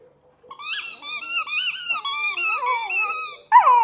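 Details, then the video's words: Dog whining while chewing a squeaky hedgehog toy; wavering, high nasal whine with wobbling pitch over about three seconds, ending in a sharp toy squeak. "Sammy jault wenn er auf seinem Quietscheigel kaut"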